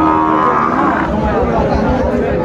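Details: Sahiwal bull calves for sale at Raniganj market in Dinajpur, Bangladesh, mid-January 2025; a loud, tonal bovine low opens the clip and fades within about a second, set against constant market chatter and crowd noise.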